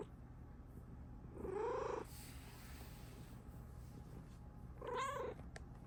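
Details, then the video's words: Female pet Bengal cat, happy with her owner nearby indoors; two separate arching meows about three seconds apart, the first longer, over a quiet room hum. "CUTEST MEOWS EVER!!"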